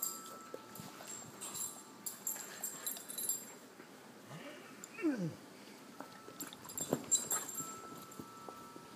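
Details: Two puppies playing and jostling to be alpha; low scuffles and thumps, then a brief curved whine or yelp sliding down in pitch around the middle, followed by more clattering play noise.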